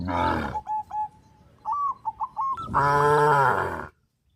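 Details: Tame cows in a field, running and jumping for joy: a short low moo opens, a few nasal honks sound in the pause, then a sustained, rich, deep moo lasts about a second before silence.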